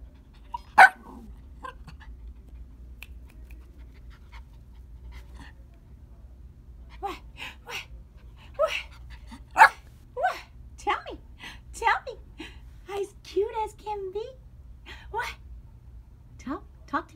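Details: Merle male Yorkie puppy, a small dog, giving scattered short yips and whining whimpers, sparse early then more frequent in the second half, with a low steady hum underneath.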